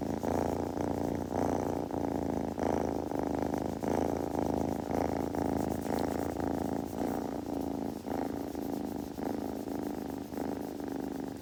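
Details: Close purring from a kitten, possibly while grooming: a deep buzzing rumble that swells and fades in regular breath cycles roughly every second, over eleven seconds with no background noise.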